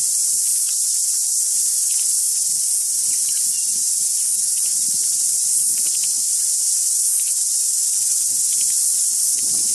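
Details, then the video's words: Cicada song at deafening volume, a constant high buzzing hiss filling every moment, with short faint tui notes surfacing behind it now and then. "The cicada song was deafening today."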